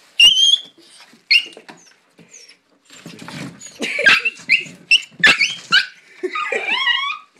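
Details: Dog giving a rapid run of high whining yips and squeals, some sliding upward, broken by brief pauses, then a longer wavering whine near the end; no other clear sounds.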